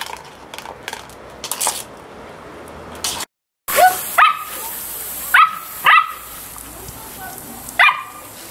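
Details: Playful Samoyed barking: a few faint sounds, a brief dropout, then loud yelping barks with clear harmonics, spaced roughly half a second to two seconds apart.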